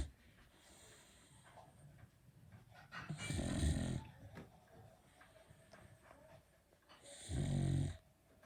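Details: Sleeping Beagle with a characteristic loud snore, two short rasping low snores about four seconds apart over faint background breathing.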